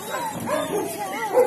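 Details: Adoptable Galgo Español greyhounds at play in a patio, among them Ramona, Romana, Sombra and Quack; a wavering, drawn-out whining howl bends up and down, ending in a brief louder yip, with faint background voices.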